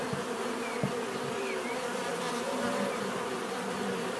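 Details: Natural buzzing of a crowd of bees: an even, continuous hum with wavering low tones from nearer insects drifting in and out, plus a faint click early on.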